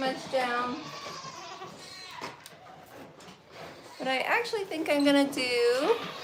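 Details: Farm goats bleating: wavering, quavering cries, one near the start and a louder run of several near the end, with room echo and a murmur of human voices between them.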